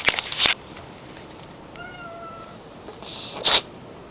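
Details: A white cat sneezing: two sharp, hissy bursts, one at the start and another near the end, with a faint, steady, thin tone between them.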